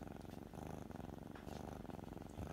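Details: Kitten purring steadily while being petted on the forehead, a low rumbling, rapidly pulsing purr that continues without a break through the whole stretch, close and loud in a quiet indoor setting.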